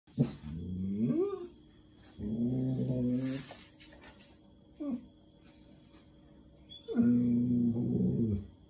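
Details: A sad German Shepherd cries, whines and growls in drawn-out, moaning bursts, wanting to go out. Finding: German Shepherd.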